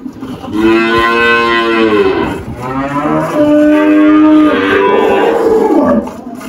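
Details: Girolando cattle on a farm in Anápolis, Goiás, Brazil, 1 March 2023, giving two or three sustained, steady-pitched moos running almost continuously for about five seconds.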